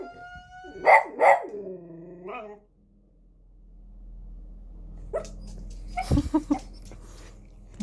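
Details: A dog reacting to a fire-inspection siren gives two sharp barks and a falling howl-like tail, then quiet, followed by faint, scattered yelps and knocks.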